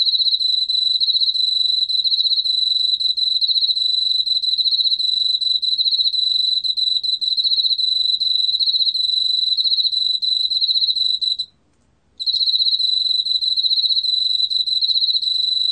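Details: 2020 National Institute of Biological Resources recording of an Emma field cricket, a steady high-pitched chirring trill of rapid pulses that runs unbroken for over eleven seconds, drops out briefly, then continues; faint low background rumble.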